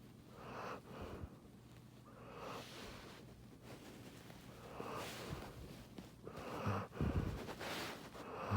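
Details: Clara, a giant schnauzer, snoring while asleep beside her owner; irregular rasping breaths in low, rough pulses, growing louder and snorting toward the end.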